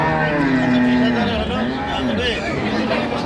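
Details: At Ambari livestock market, Dinajpur, where dairy cows and calves are sold, one short, steady low moo sounds at the start, then men's bargaining voices and crowd noise take over.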